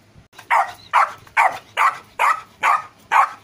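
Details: Seven punchy, even barks from Rocky the golden retriever puppy, spaced about half a second apart in a regular rhythm, bright and youthful in tone.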